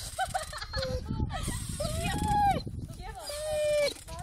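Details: Dog whining in a few sustained, slightly bending tones, with one long steady whine near the end, over a background of low rumbling noise.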